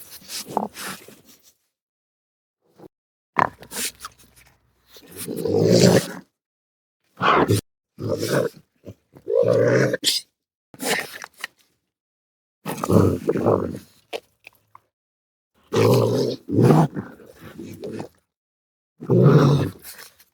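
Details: Raccoon uttering a long series of low, gruff grunts and growling huffs, each burst under a second, irregularly spaced with quiet pauses over twenty seconds.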